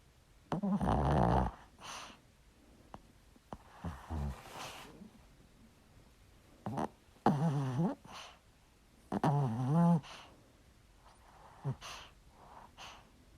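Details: A small dog snores in its sleep, giving a series of irregular rasping snorts. Several carry a wavering, whiny tone at the end, separated by short quiet gaps with soft breathing noises.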